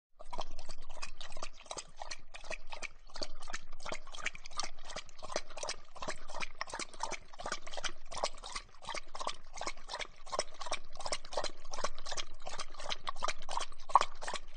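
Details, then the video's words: Dog drinking, recorded close up; rapid wet lapping clicks repeated several times per second, steady and unbroken, with a faint low hum underneath. "Dog Drinking Close Up"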